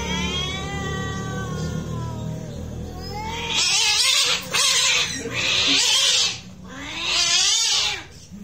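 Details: Real cat fight: a long, sinking moan of a yowl gives way to loud, harsh spitting hisses in three or four explosive bursts, with a rising growl between them.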